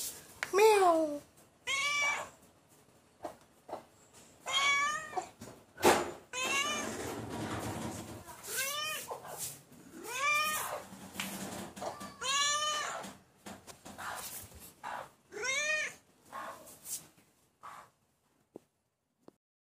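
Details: Pet cat giving a long series of short, falling meows, roughly one every second or two, with human voices talking in the background and occasional knocks and bumps.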